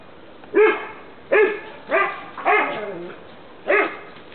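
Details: Barking from dogs in the sun in 2009, among them an 11-year-old American Bulldog, a Staffordshire bull terrier and a French Bulldog; five sharp barks, one a drawn-out bark with a falling tail, on a quiet background.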